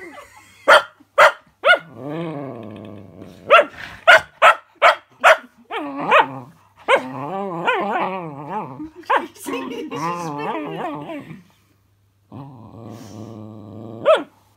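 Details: Cookie, a female puppy wary of a fidget spinner toy, lets out a run of quick barks among sustained wavering growl-whines. Faint human voices can be heard in the background.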